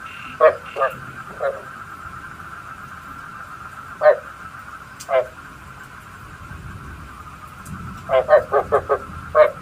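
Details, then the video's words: Frog calls offered as a night-trapping lure: short, throaty croaks with a harsh harmonic buzz, scattered singly and then in a quick run of four or five near the end, over a steady high whine and low background hiss. "Tiếng ếch mồi chuẩn 99,99%"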